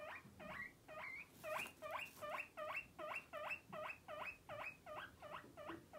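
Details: Guinea pig. A guinea pig gives a run of loud, squeaky whistles, each note sliding upward and repeated about two to three times a second. The calls come in a steady, insistent rhythm against a quiet background.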